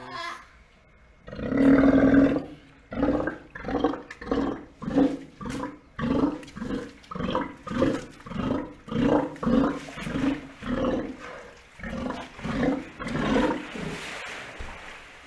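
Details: Steller sea lion sounds heard just after a newborn pup, born in captivity, is pointed out: a long series of throaty, pulsing roars, about eighteen bursts spaced under a second apart, opening with one loud sustained roar.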